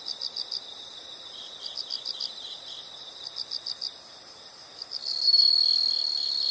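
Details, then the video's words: Insects in a nature sound recording: short high chirps pulse in bursts of three to five, then a louder continuous high trill begins near the end, with several insects calling together. "the sound of insects"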